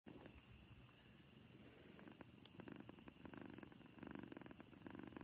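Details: Happy cat purring; a soft, low, rough rumble starts quietly and grows steadily louder with rhythmic pulsing toward the end.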